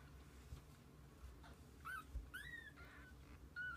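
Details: Kittens with their mother cat spending the day together: three thin, high-pitched mews, the middle one longest and slightly bending down, spaced over the last two seconds, with soft thumps and a low background hum.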